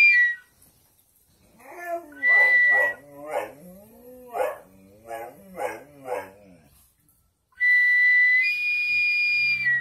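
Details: Dogs howling: a run of wavering, rising-and-falling harmonic howls in several short bursts over about five seconds, framed by a loud, steady, high-pitched whistle tone at the start and end.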